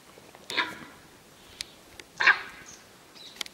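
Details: Sambar deer in Ranthambhore National Park give two loud, harsh, bark-like alarm calls warning of a male tiger walking on a hill.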